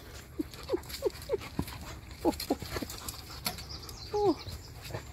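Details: Husky and Malamute, one called Tonka, tussling in morning play; a rapid string of short, high whiny yips roughly every third of a second, then a longer drawn-out whine, over soft background rustle.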